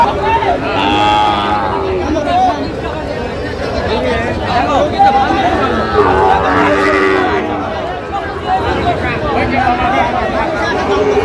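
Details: Sahiwal cattle at a cattle market in Narsingdi, Bangladesh, where a farmer buys the market's best Sahiwal bull, 28 July 2025; several drawn-out moos rise over steady crowd chatter and bargaining voices.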